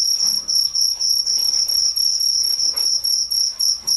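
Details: Night crickets chirp steadily in shrill, pulsing bursts, several times a second.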